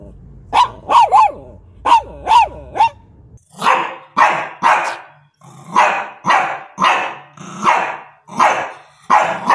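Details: Shih Tzu barking: a few short, higher yelping barks, then a steady run of fuller, rougher barks spaced about half a second apart.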